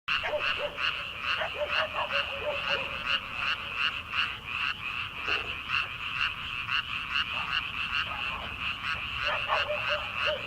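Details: Chorus of many frogs calling in rice paddies in early summer at night before rice planting, a dense pulsing band of rapid croaks with scattered lower notes bending upward; no other clear sounds.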